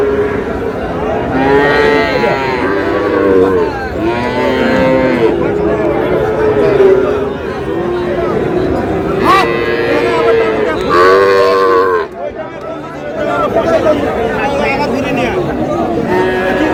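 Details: At a cattle market in Pabna, Bangladesh, Sahiwal cattle low in long, wavering moos that overlap one another, while buyers haggle over prices and a man shouts amid dense crowd noise.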